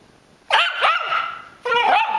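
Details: Pet Rat Terrier Catfish, unsettled by a squeezed squeaker toy during play, gives a few loud, harmonic, slightly whining barks: two close together, then a longer drawn-out one after a brief pause.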